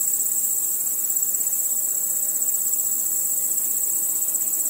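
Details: Nocturnal crickets and insects at night produce a sustained high-pitched shimmering chirr, rapid and uninterrupted, with slight swells in loudness and a faint underlying insect murmur.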